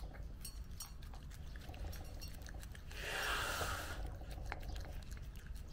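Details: Mame Shiba named Nezuko eating cake for the first time on her first birthday, indoors; soft irregular wet chewing and licking clicks, a brief louder rustle midway, some background noise.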